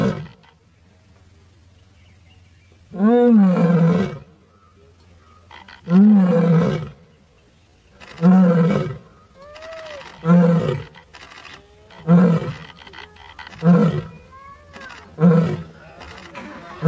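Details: Lioness roaring in the jungle at Sasan Gir, India, on a safari: a series of deep, groaning roars, the first long and loud, then shorter grunting roars spaced about two seconds apart, fading slightly, with a low engine hum underneath.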